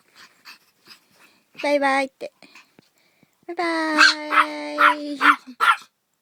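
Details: Dog making a short, tonal whining cry, then a longer sustained howling whine of about two seconds broken by sharp accented pulses, with soft scattered sounds in the quiet gaps between.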